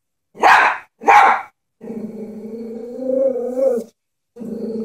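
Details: Frightened Chihuahua facing a stuffed animal horse: two sharp barks in quick succession, then a sustained low growl that swells slightly before breaking off and starting again.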